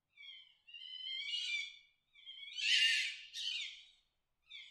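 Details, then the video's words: Fox giving a mating call, heard as drawn-out wavering cries that break into harsh rasping screams, in bursts of about a second with brief silences between them. "fox mating sound."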